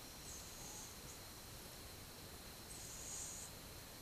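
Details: A cat of twelve months dozing on 8 October 2015; two gentle, breathy hisses of its sleeping breath stand out, one early and a longer one near the end, over low steady room noise.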